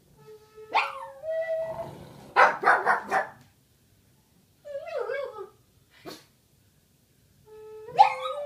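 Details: A Boston Terrier howls along as a Native American flute is played, with rising, wavering tones and a few sharp yips.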